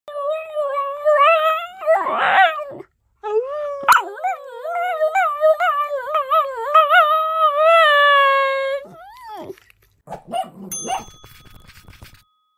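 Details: Male Keeshond puppy indoors, singing and screaming loudly, with warbling, yodel-like howls that wobble up and down in long sustained phrases, a short break, then more wavering cries trailing into quieter whimpers and a few clatters.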